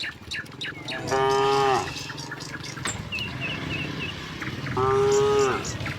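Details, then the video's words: Tame cattle in a herd walking from the neighbouring village to their pen, rural Indonesia: two drawn-out harmonic moos, each under a second long, about four seconds apart, with small bird chirps and faint scuffling between them. "kerumunan sapi lembu jinak berjalan dari kampung sebelah menuju kandang, suara sapi moo"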